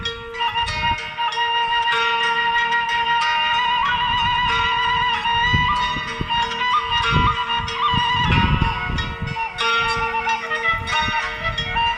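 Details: Traditional flute-led music with percussion playing steadily, no animal calls.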